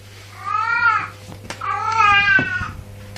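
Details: Domestic cat making a funny noise: two drawn-out, rich harmonic meows about a second apart, each rising then sagging in pitch, the second longer and ending abruptly, over a steady low hum with faint clicks indoors.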